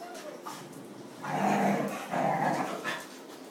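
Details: Puppies from a household litter, among twenty dogs including a Dalmatian with thirteen pups and Jack Russell Terriers with three pups, indoors; two drawn-out tonal whining cries of about half a second each, a short gap between them, over a quiet room murmur.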